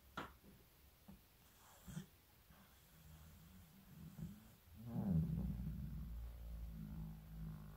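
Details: Shizukun, a 15-year-old Shiba Inu facing old age this winter, snores while asleep. Quiet clicks and breaths come first, then a long, low, rumbling snore swells over the last three seconds.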